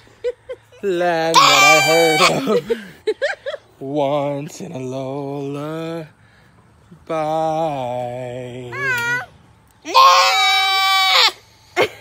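A goat gives long, wavering, nasal bleats alongside a person singing a melody.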